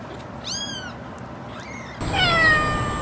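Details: Cat meowing: a quick rising-falling meow, then a softer second one, followed by a louder, longer descending meow over noticeable background hiss.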